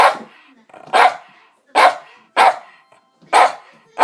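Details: Pet dog barking at the table during mealtime, a habit it has taken up; five loud, sharp single barks spaced roughly a second apart, with quiet gaps between them indoors.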